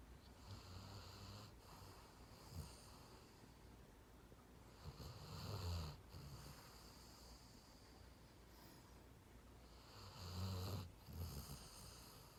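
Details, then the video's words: Sleeping dog snoring in a 'deureureong' rumble, giving low, rough snores roughly every five seconds with quiet breathing between them, soft overall in a still room. "강아지 코골이 드르렁 드르렁"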